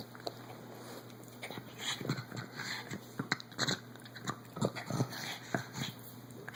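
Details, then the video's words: Otis, a 14-year-old pug, still likes to fight and makes crazy noises during play-fighting. Short snorting grunts and whimpery bursts come in irregular clusters throughout, over a steady low background hum. "Otis the 14 year old pug making crazy noises!!!"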